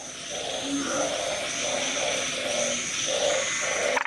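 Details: Small but loud narrow-mouthed frog filmed close up with a Nikon camera, inflating itself: a steady series of short, nasal croaks repeated about twice a second, with a faint high hiss in the background.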